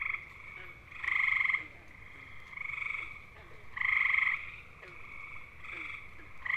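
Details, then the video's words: Male gray tree frogs (Hyla versicolor) sing bird-like mating trills; two strong half-second trills stand out, at about one and four seconds, against a continuous backdrop of weaker overlapping trills from neighbouring callers. "Grey Tree Frogs: How To Identify Their Mating Calls & Sounds!"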